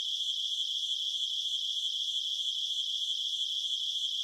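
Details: Crickets at night making a dense, steady, high-pitched trilling chorus. It pulses evenly, about three beats per second, without a break.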